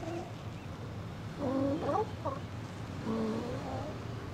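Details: Steller sea lions, residents of an outer harbour, chatting among themselves on a sunny January 2012 winter day: two groups of short, bending, nasal moans a second and a half apart, over a low rumbling background.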